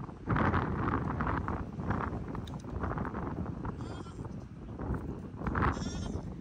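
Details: Baby Pygmy goats making new friends at Pygmy Harbor Farm, Knoxville, Tennessee, USA: wavering, nasal bleats near the start, around two seconds and again near the end, over a dense low rumble of handling and movement.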